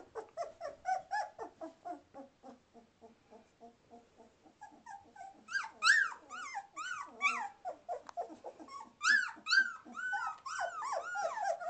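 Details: Two-and-a-half-week-old Samoyed puppies indoors in December 2009, learning to walk and play: steady rapid squeaky whimpers, then louder arched yelping whines that rise and fall, piling up toward the end, as if calling for their mother to return and feed them.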